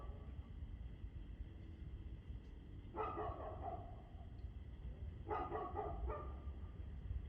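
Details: A dog, 2/6/2024, 6:02 pm, gives two separate bursts of rapid, harsh barking, each lasting about a second, separated by a two-second lull over a deep continuous rumble.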